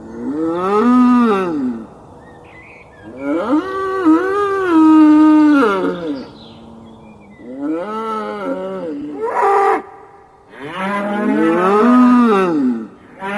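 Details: A raging bull bellows repeatedly in rich, wavering moos that swell and fall. There are four main calls over about thirteen seconds, and a shorter rougher burst between them.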